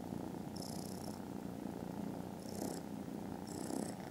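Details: Very loud purring from foster kittens dozing contentedly after lunch, 18th December: an unbroken low rumbling buzz, with three brief breathy high hisses laid over it.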